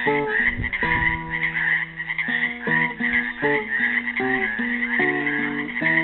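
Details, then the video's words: Trapped in a Helix, Oregon pool on Earth Day 2016, frogs keep up an unbroken, rattling chorus of high croaks, mixed with a lively run of classical guitar notes and strums. "GUITAR AND FROGS SINGING"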